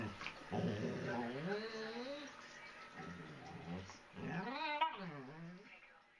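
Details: Pet dogs indoors, a 3 lb Chihuahua puppy that will not let a German Shepherd sleep; wavering, moaning whine-like vocalisations rising and falling in several bouts, quiet overall.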